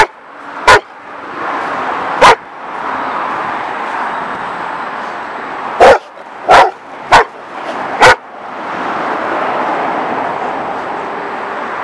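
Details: Two German Shepherds in a yard beside a street give loud, deep single barks at irregular intervals over a steady background hiss.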